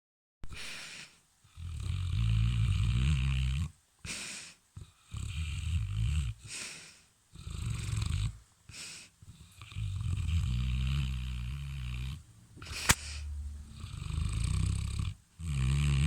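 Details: Sleeping dog snoring, still on guard even in sleep: deep rumbling snores in bursts of one to three seconds, separated by short quiet breaths, with a rough, gravelly texture throughout.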